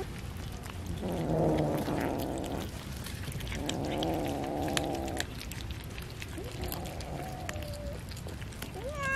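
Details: Cats fed fish give long harsh, wavering calls lasting over a second each, then a shorter rising meow near the end, over constant low rumbling noise.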